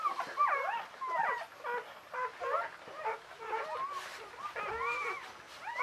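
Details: Newborn Czechoslovakian Wolfdog puppies, a litter of five females born 21 November 2020 to Orizon and Rahan, squeal in dense, overlapping bursts of high, wavering whimpers that rise and fall, with several pups calling at once.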